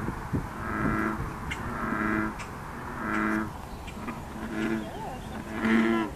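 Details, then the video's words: American bullfrogs croaking together at Blacks Nook on 9 June 2013, a steady overlapping chorus of low, droning, harmonic calls pulsing roughly every second against a hissy background. "Croaking Chorus Of Bullfrogs At Blacks Nook"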